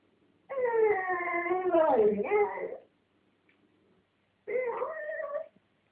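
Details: Domestic dog, blonde, defending a dog chew against a red dog, voices a strange wavering moan of about two seconds that bends downward at the end, then after a pause a shorter rising whine.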